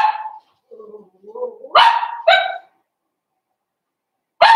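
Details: Blenheim Cavalier King Charles Spaniel puppy from a litter of five born at New Year's, in a home puppy pen on pick-up day: a soft low whimper, then sharp, high, ringing yaps in quick pairs, one more bark at the end.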